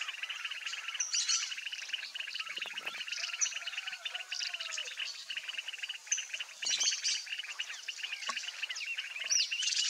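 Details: Pond chorus of Mueller's termite frogs in breeding season, a couple spawning nearby: continuous pulsing trills layered into an unbroken buzzing wall, with occasional higher chirps and faint low thumps scattered through.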